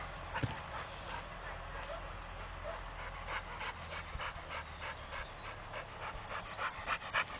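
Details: Trained Pit Bull panting in quick, breathy bursts, several per second, over a low rumbling background with faint human voices.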